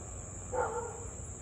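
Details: Siberian Husky in Louisville, 6:24 pm on 3 August 2021, in a half-hour bout of barking and howling; a lone short tonal yelp with overtones, gently falling, over a persistent high-pitched insect drone.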